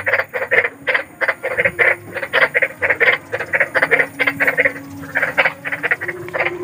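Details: Large frog heard at night, used as sleep therapy: a continuous run of gritty, clipped croaks repeating roughly three times per second, slightly uneven in loudness, over faint low-pitched background noise.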